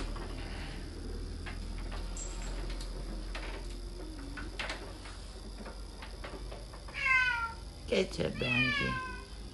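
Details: Domestic cat meowing twice near the end, each call a harmonic tone that bends downward, after quiet Polish speech and indoor room noise.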